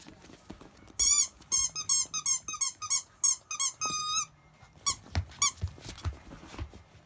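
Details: Akita puppies, 52 days old, offspring of the mother dog Jun, the largest over 7 kg and still fed mostly on her milk; a run of high, bending, squeaky whines in quick bursts over about three seconds, then a few more, with soft thumps and shuffling.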